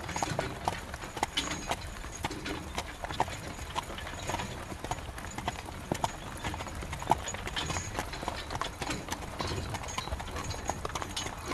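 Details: Carriage horse walking in the rain: sharp, rhythmic hoof clip-clops repeat several times a second, steady throughout, over a constant wash of rain noise.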